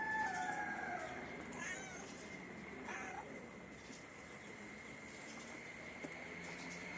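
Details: Attention-seeking mother cat, one of her kittens lost, gives a drawn-out tonal meow at the start, then a couple of briefer cries, against a constant high hum and low rumbling noise.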